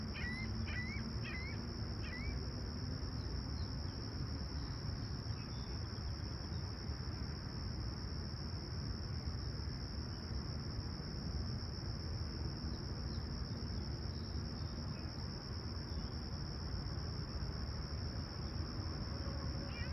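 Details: Crickets chirping at sunrise on a clear, calm summer morning at Toronto's Humber Bay Shores, July 28, 2020, about 20ºC: a steady high continuous trill throughout, with a few short bird chirps early on over a low rumbling background.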